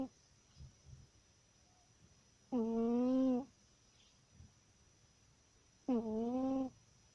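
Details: A pet cat sleeping soundly and snoring indoors: two drawn-out, tonal, slightly buzzy snores about three seconds apart, each lasting under a second, separated by quiet breathing in a small, still room.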